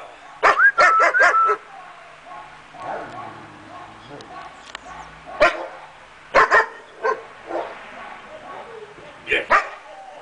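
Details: Five-month-old German Shepherd puppy barking: a quick run of four sharp yelping barks at the start, then single and paired barks spaced several seconds apart, with quiet talking and room noise between them.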